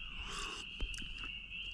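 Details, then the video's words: Spring peepers calling loudly at night beside Lake Jean at Ricketts Glen in early spring on Easter Sunday, forming a steady, high, shrill continuous chorus band with a few soft clicks and knocks from a campsite nearby. "Listen to those spring peepers. I never imagined I'd get to hear that tonight. They are so loud."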